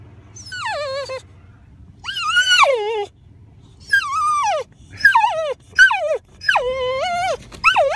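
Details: Rylee, a Boxer dog, on first seeing an elk herd: loud, high whines in six bursts, each sliding down from a sharp start, some wavering or rising again, separated by short quiet gaps.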